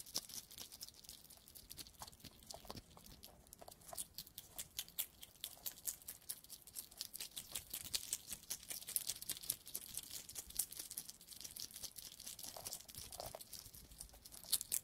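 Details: European hedgehog makes rapid, dry crunching and clicking sounds, like busy chewing, with faint snuffles.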